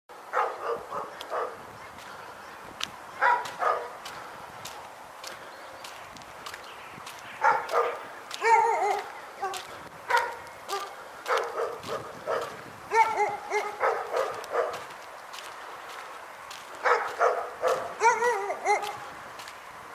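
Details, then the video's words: Dog barking in Pyrga, short harmonic barks in loose bursts with gaps of quiet between them, some clicks and faint background noise. "Pyrga Barking Nightmare"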